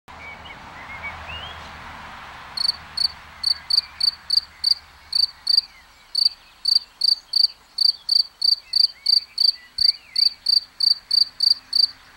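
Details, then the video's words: Singing cricket, filmed in plain view: after about two and a half seconds of quiet, high, pure, ringing chirps begin and repeat steadily about three times a second, with faint twittering birds in the background. "Un grillon qui chante"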